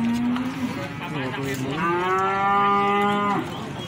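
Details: Cattle at the Plaosan cattle market, Magetan, Indonesia, giving a long tonal moo lasting over three seconds, steady then swelling louder and richer before stopping abruptly, with busy market background noise.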